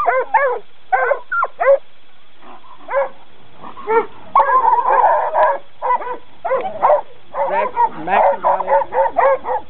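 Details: Coon dogs in training giving bursts of harmonic barks, some drawn into longer, bawling bays, with several overlapping in the busier middle stretch.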